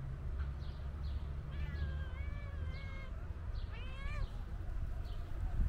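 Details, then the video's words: Calico cat meowing loudly, as if wanting to tell its owner something: one long, steady, drawn-out meow, then a shorter wavering meow a second later, over a low traffic-like rumble and faint high bird chirps. "Calico Cat Meowing Loudly Wants To Tell Me Something"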